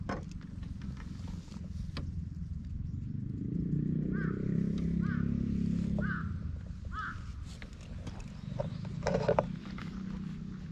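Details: Stray silver mackerel tabby cat being petted on a park bench, filmed with a GoPro, purrs softly for a few seconds. A bird's short call repeats about once a second over it, with rustling noise.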